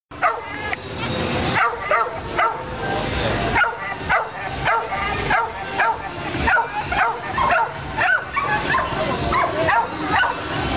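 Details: Dogs giving repeated sharp, harmonic barks and yips, some sliding downward in pitch, arriving irregularly around every second or two and often overlapping, over a steady background hiss.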